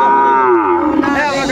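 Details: A single clear moo from Sahiwal cattle at the Ambari market, Netrokona, Bangladesh, 8 November 2024, amid bull sales; rich harmonic tone sliding downward, then a second voice rising, with market murmur behind.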